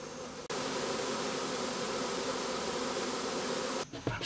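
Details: Honey bees swarming within a house produce a loud, unbroken buzzing roar that cuts in sharply, then drops away near the end as brief human sounds and handling noise intrude.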